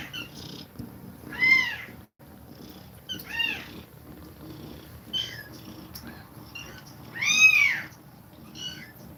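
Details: A nursing cat breathes fast while feeding milk to her kittens. Short, high, arched mews come every second or two, and the loudest rises and falls near the end. Faint murmurs fill the gaps.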